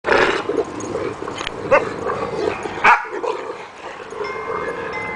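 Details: Dogs playing with a rope make rough, continuous growling and snarling noises with scuffling and a sharp thump. A person's calm voice follows.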